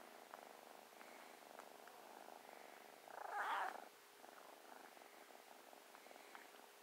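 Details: A new, playful and loving kitten purrs while snuggling: a soft, steady purr with a brief louder swell midway, heard indoors.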